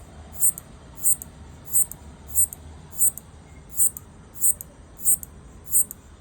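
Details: A locust stridulates, rubbing hind-leg pegs against its forewing edge, in sharp, high clicking bursts repeated steadily about every two-thirds of a second, described as trying to communicate with its partner.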